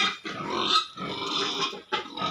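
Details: Squealing pigs on a piggery farm: rough, noisy screams in three or four loud bursts, with short gaps between them.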